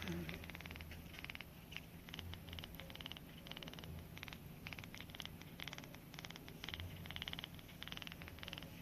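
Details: A male kitten being bottle-raised in a kitten triage program, one eye starting to open, purrs in a steady, low, motor-like rumble while still suckling on a finger after eating, wet clicking suckling sounds mixed in.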